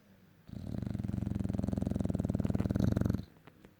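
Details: Sleeping English Bulldog, said to usually snore like a tractor, gives one long rattling breath of about three seconds indoors: low, rough and fluttering with rapid even pulses, then quiet.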